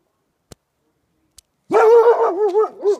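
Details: Golden Retriever vocalising at a porcupine, one of two dogs: after two faint clicks comes a sustained, wavering high whine-bark lasting over a second with a falling tail.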